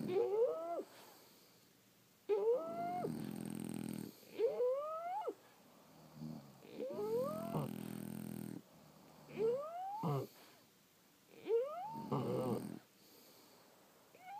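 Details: Several French Bulldogs asleep, snoring: each breath carries a thin, rising whistled wheeze over a low, rattling snort, with breaths roughly every two to three seconds and quiet pauses between.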